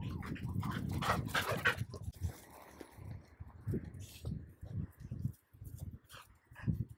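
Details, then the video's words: Golden Retriever and Border Collie, childhood friends, reunited after a long separation. Low, soft, rhythmic huffs and snuffles come about twice a second, with a brief whimpery tone early on and light background noise. "Golden Retriever Reunites With Childhood Friend Border Collie After So Long!"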